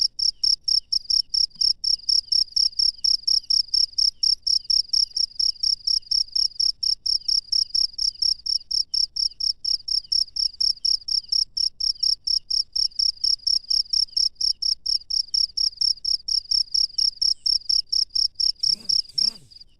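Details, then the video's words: Wild cricket calling at night, a steady train of short high-pitched chirps repeated about twice a second for the whole stretch, with a faint low rumble near the end. "SUARA JANGKRIK LANGSUNG DARI ALAM LIAR DI MALAM HARI"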